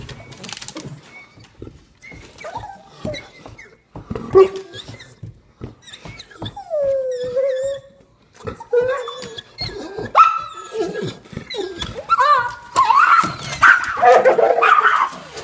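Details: Two pet dogs, a Bloodhound and a Pom cross, frantic with excitement about going outside; rising and falling whines, a long drawn-out howl-like cry, and rapid uneven yelps build to a noisy climax of overlapping barking.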